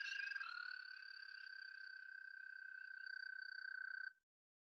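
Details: American toad trill, played back during a talk on the reptiles and amphibians of the Acadian Peninsula, New Brunswick, and said to last about seven seconds. A steady, high, musical pulsed trill holds one pitch for about four seconds and then stops abruptly.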